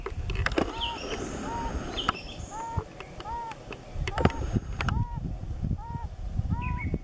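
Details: Mating-season chorus of yellow-bellied toads, brief hollow tonal notes spaced roughly every half second to second, broken by sharp clicks and knocks and a background of low rustling noise.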